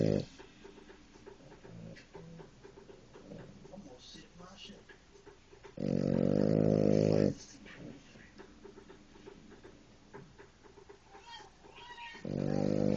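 A French Bulldog snores loudly, each long, rattling, harmonic-rich breath returning every few seconds.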